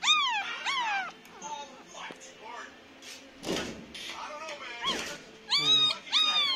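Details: Pomeranian puppies, nine days old, whimpering in short arched squeaks at the start and end, with handling rustles and thumps in between and a little background music.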